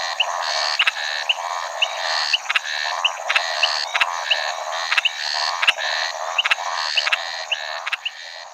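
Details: Scinax eurydice, the Maracas snouted treefrog, giving a regular run of harsh, buzzy pulsed notes, roughly two per second, over a continuous high-pitched background drone.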